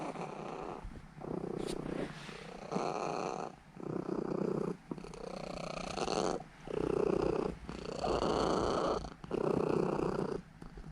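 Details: Seven-year-old female Norwegian Forest Cat Elf purring as she kneads and drifts off to sleep; loud pulsing rumble in breath-length bursts of one to two seconds, with brief quiet gaps between inhale and exhale.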